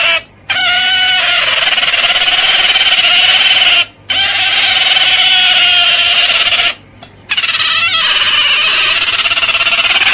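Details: Otter giving sustained, high, steady squeals with harsh, hissing noise running over them and three short silent gaps.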